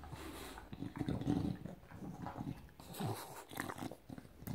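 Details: A male English Bulldog, excited to see his owner back, goes crazy around her head and chews her hair, making low, snorting grunts and growly noises amid a woman's voice.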